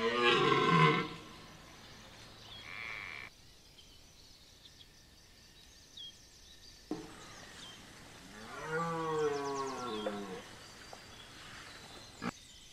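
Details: Red deer during the rut at Chambord, France, September 2021: a brief harsh roar at the start, then after quiet a wavering, moaning bellow with rising and falling tone.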